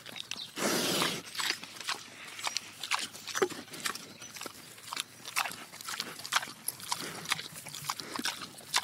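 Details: A large pig (Sus domesticus) eats slowly, chewing with wet crunching and smacking noises in irregular bursts.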